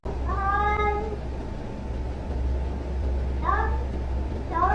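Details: Domestic cat meowing in a funny cat compilation: a drawn-out harmonic meow near the start, then two shorter rising meows later, over a steady low hum and background music.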